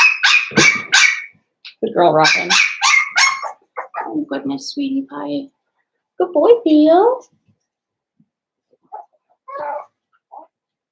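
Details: Cavalier King Charles Spaniel puppies, blenheim coloured, from a litter of five in an indoor pen: a volley of high barks for three seconds, then a person talking, with a few faint yips near the end.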